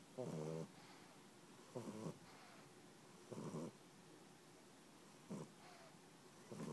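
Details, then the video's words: Snoring puppy fast asleep: five rough, fluttering snores at uneven intervals of one to two seconds, some fuller, some shorter and softer, with quiet room tone in between. "Snoring puppy"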